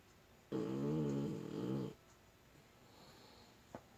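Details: Snoring puppy at rest inside a home: a single loud, buzzy, humming snore lasting well over a second, then near-silence broken by one faint tap.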